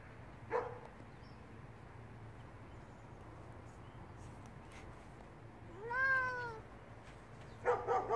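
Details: Apoll, a Bengal tomcat, exploring an old Mirabelle tree at home, gives a single drawn-out meow that rises and then falls in pitch.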